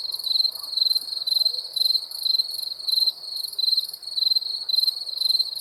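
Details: Chirping crickets at night, pulsed trills grouped into bursts a little under twice a second, a sharp high ringing note with a softer shimmer above, otherwise calm.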